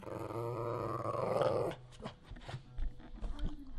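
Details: A dog begging for food lets out a long, steady, tonal growl-howl lasting under two seconds, followed by quieter rustling and clatter.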